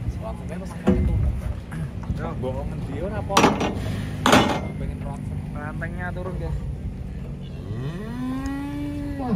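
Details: Agitated cows coming off a truck, with loud clanging bangs and rumbling early on, then mid-pitched moos and a long, clear, rising and sustained moo near the end.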